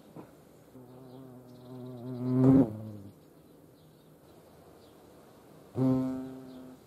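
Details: European hornets visiting a feeding place in Dohr, Eifel region of Germany; a deep humming buzz rises to a loud peak around two and a half seconds, stops, then a second short burst of wingbeat drone follows.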